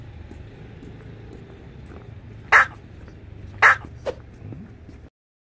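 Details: Mong-i, a female Maltese dog weighing 4.5 kg, reacting to a hidden-camera prank to see whether she recognises her owner: two sharp bright barks about a second apart, then a softer yip, over low background murmur.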